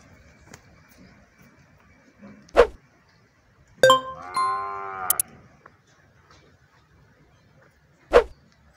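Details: Cattle on a ranch in El Salvador holding dairy cows and calves: one drawn-out harmonic moo lasting about a second and a half, gently arched in pitch, set between sharp knocks, with quiet surroundings.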